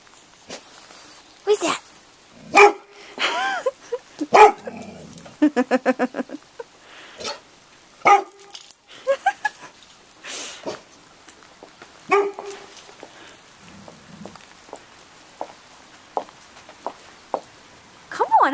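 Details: Roxy, a chocolate Labrador Retriever frightened by roofing materials in a driveway, gives sharp harmonic barks and yelps between bursts of coaxing human speech, with a few drawn-out whines in the middle.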